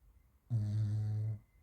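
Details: French Bulldog named Raf snoring while asleep indoors: a single low, rumbling snore of under a second, steady and droning, with quiet breathing before and after.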